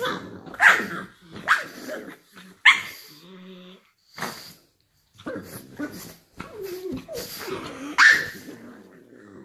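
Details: Two pug sisters, four-year-old Buze and two-year-old Nana, playing together in bed in the morning; short sharp barks and yelps burst out at intervals, with grumbling growls, whines and bedding rustle between them, and a brief human murmur.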